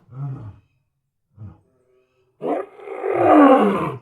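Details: Lion roaring: two short low grunts, a pause, then a loud harsh roar rising into a rough, broadband growl that swells and fades over about a second and a half.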